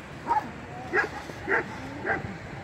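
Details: Original female Kangal dogs, purebred, producing four evenly spaced barks about half a second apart, moderately loud over steady background noise.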